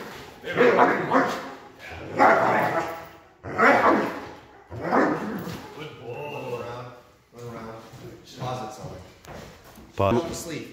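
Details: Aggressive Doberman in protection training giving loud rough barks about every one and a half seconds, then quieter growly sounds mixed with a trainer's speech.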